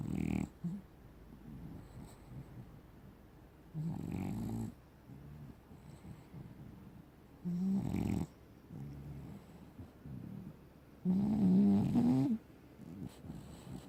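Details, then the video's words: A black and tan French Bulldog snoring: low, rough rasping snores about every three to four seconds, each lasting roughly a second, the last one loudest, with quiet breathing between. "French Bulldog, black and tan has a good snore"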